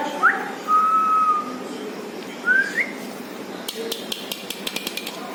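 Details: Labrador Retriever puppy whimpering: a short rising squeak, then a thin steady whine held for about a second, another upward-sliding whine soon after, followed by a run of sharp clicks over a steady background hiss.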